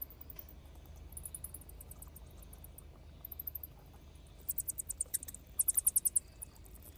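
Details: Bats leaving a cave to forage give rapid bursts of high, thin clicking squeaks over a low background rumble.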